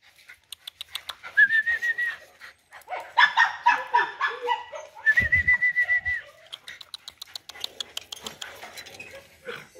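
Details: A big-bellied dog being taken home whines in drawn-out, steady high-pitched tones, several in a row, broken up by short yelps and rustling, with a person speaking Vietnamese close by.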